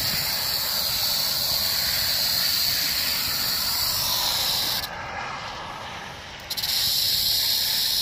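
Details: Rattlesnake on 1 July 2018 sustaining a loud, even, high-pitched buzzing rattle, briefly softening for about a second and a half near the middle before resuming at full strength.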